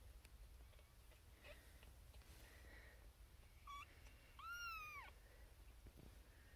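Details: Xena Thumbalina, a Siamese kitten and firstborn of her litter (born April 1, 2021), calls from a birthing box shared with six other kittens, wanting attention: a short high chirp, then one loud, arched, strongly harmonic meow over low background hum.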